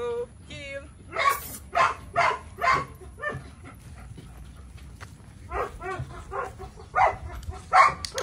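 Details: Belgian Malinois, named Psycho, opens with a brief high whine, then short bursts of barking and yelping separated by pauses, while a handler speaks nearby.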